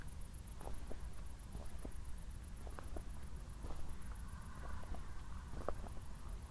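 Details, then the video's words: Crickets chirp on an evening walk after a thunderstorm in Zwettl, Austria: thin, high pulses repeat evenly several times per second over soft footsteps and low rumble. "ASMR Cricket Sounds"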